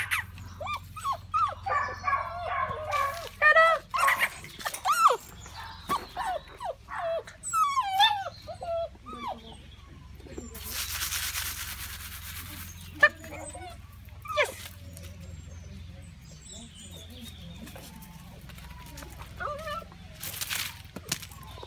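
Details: Male Akita Inu puppy, listed with the date 24 August, at a French puppy sales establishment; high, wavering whines and short yelps come in quick bursts through the first eight seconds, with people talking nearby and a brief rush of noise midway.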